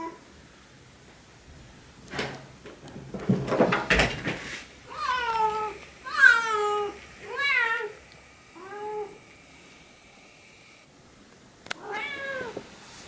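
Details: Siamese cat Yozora, indoors and calling to get help bringing her blanket down from the cat-tree for a game of fetch, gives a run of rising-falling harmonic howls after some clattering and rustling, with a faint steady whine in the background.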